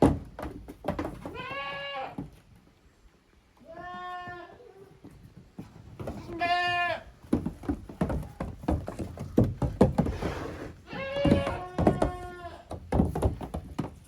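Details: On a handmade goat farm in Japan, 13 June 2023, Koharu's and Okayu's kids play in two teams in the yard. Four clear, nasal, quavering bleats come a few seconds apart, with busy knocking and scuffling noise between them.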